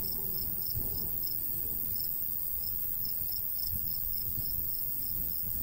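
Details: In the summer countryside by a golden wheat field, crickets chirp in quick high pulses spaced fairly evenly, accompanied by a faint steady hiss and gusty low rumble of a light breeze.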